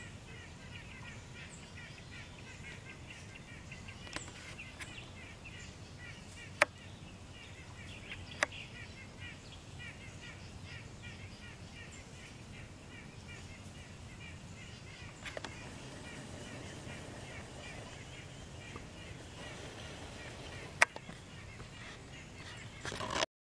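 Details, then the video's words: A chipmunk in a yard, possibly barking with a mouthful, gives a long, steady run of faint, high chips, repeated several times a second. "chipmunk in my yard making noises"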